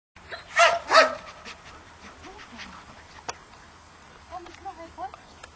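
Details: Tomi, a Labrador, during obedience training: two loud, sharp barks close together in the first second, followed by quiet, scattered faint sounds in the background.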